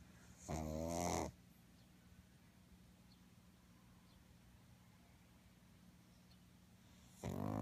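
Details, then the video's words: A sleeping pug snores twice: a loud, gravelly, rattling breath near the start, then about six seconds of near silence with faint breathing, and another rasping snore beginning at the end. "Мопс храпит"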